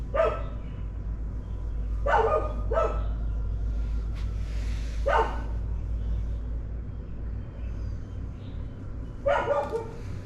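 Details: Dogs bark in the morning, five sharp barks spaced irregularly across ten seconds, two in quick succession early on, over a heavy low rumble.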